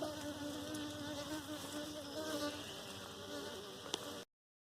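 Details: Honey bees at a hive being caught for domestication; a steady, dense humming drone with tonal bands runs throughout, then ends abruptly near the end.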